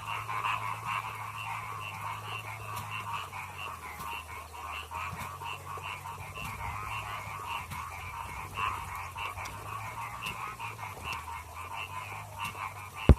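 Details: Chorus of paddy frogs singing, many overlapping rapid croaking pulses in two pitch bands running continuously, with a low steady hum beneath and a sharp click at the end.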